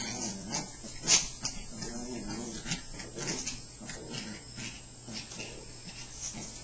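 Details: Pair of Chihuahuas growling as they wrestle in play, low rumbling snarls with wavering pitch, a sharp yelp near the start, and scuffling noises in the background.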